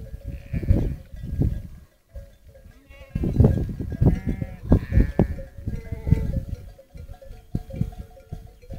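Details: Sheep of the Romanov breed moving back to their camp at sunset during a highland migration on Boğalı plateau near Erbaa, guarded by Kangal dogs; several short quavering bleats in the middle amid bell-like ringing and dense low hoof noise.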